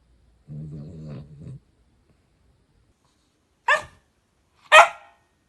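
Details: Pet tricolor Cavalier King Charles Spaniel in Munich, Germany, makes a short low buzzing growl lasting about a second, then after a pause two loud, sharp single barks close together.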